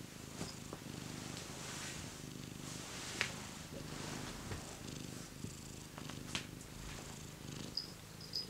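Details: Cat settled by a heater, purring in a continuous low pulsing rumble, with scattered soft clicks and rustles over it indoors.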